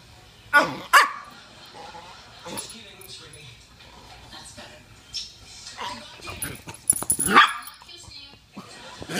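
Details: A cocker spaniel playing with a toy poodle gives sharp, short barks in quick bursts, with a person talking in between.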